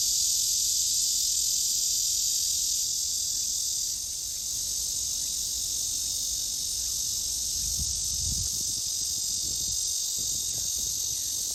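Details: Black cicada in midsummer: a continuous, loud, harsh high-pitched buzz that holds steady throughout, dipping slightly in volume partway, with faint low rumbles in the background.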